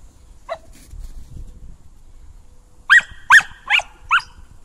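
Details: Sydney, a female Samoyed excited after grooming, gives one soft early yip, then a quick run of four sharp, high-pitched barks less than half a second apart in an otherwise quiet room.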